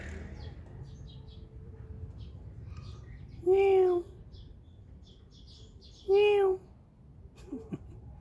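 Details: Stray or feral cat from a local neighbourhood, recorded in 2019 with a Samsung Galaxy S9+: two clear, even meows about two and a half seconds apart, then a softer short mew, with faint bird chirps and low outdoor rumble.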